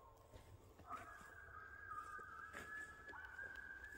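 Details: A coyote in the back woods gives a long, steady howl that rises slightly and holds a clear, high tone.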